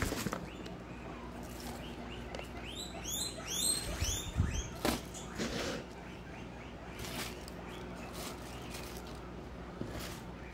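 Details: Guinea pig herd at Comfort Cavies during supper feeding: a burst of shrill, rising whistled squeals clustered mid-way, then fainter calls, over steady rustling, clicks and handling noises from the food being set out.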